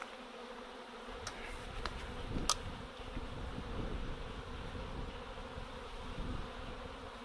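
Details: A small swarm of honey bees circling and settling on a post as a beekeeper collects them makes a dense, steady, low droning hum.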